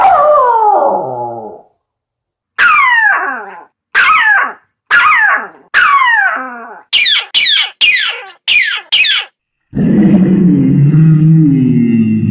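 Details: Poochin, a Poodle-Japanese Chin mix, 2 years 3 months old and 14 lbs, howling: a long falling wail, then a run of short rising-and-falling howls, ending with a low rough moaning note.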